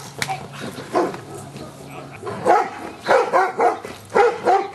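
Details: Luther, a Giant Schnauzer in Schutzhund stick-hit training, 25 April 2009, getting used to stick hits; a quieter opening with a faint hum gives way to rapid clustered barks in the second half.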